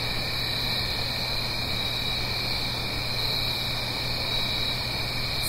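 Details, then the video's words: Crickets singing on an autumn night in the Blue Ridge Mountains, uphill from a stream: a dense, unbroken high-pitched trilling chorus with faint pulsed chirps layered over it and a steady low hum underneath. "Autumn Crickets - 9-Hour Sleep Sound - Fall Cricket Song"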